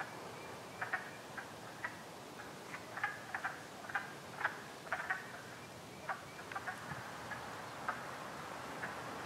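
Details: Wood frogs calling from a vernal pool in Harvard, Massachusetts, on 30 March 2016: short, low clucking notes scattered irregularly, sometimes several per second and overlapping, over steady background hiss.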